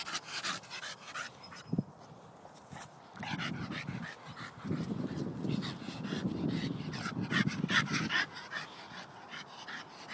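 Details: Staffordshire Bull Terrier playing: after a quiet opening with a brief sharp tap, sustained low growling builds from around three seconds and runs in long rumbling stretches, with faint clicks overhead.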